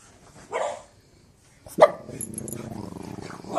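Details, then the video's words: Boston terrier barking: a soft yelp, a pause, then one sharp bark followed by a sustained low growling, grumbling sound, with faint background noise. "Boston terrier barking"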